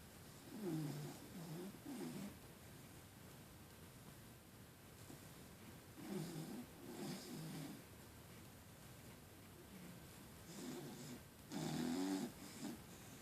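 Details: Female puggle snoring while asleep indoors, quieter than usual; soft low rasping snores come in irregular bursts about every four to five seconds, some doubled, with a faint steady hum behind.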